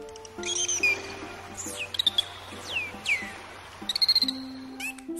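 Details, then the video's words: A dolphin gives high, sweeping whistles that slide sharply downward, with steady musical tones underneath. "послухайте цей звук, який видає дельфін."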